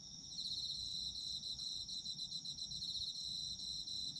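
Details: Shrill, rapidly pulsing trills of autumn insects run unbroken from start to finish, layered at two high pitches, with only a light low background murmur.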